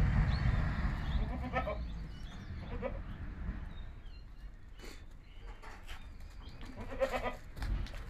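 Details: Himachali goat kids from Himachal bleating in short harmonic bursts near the start, middle and end, over a heavy low rumble, with a person's voice nearby.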